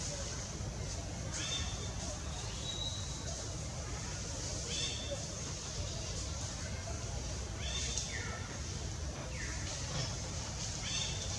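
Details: In the Angkor Park forest, young monkey Gavin cries for help while being weaned by Bonita; several high, falling wails spaced a few seconds apart against a constant hiss of ambient noise.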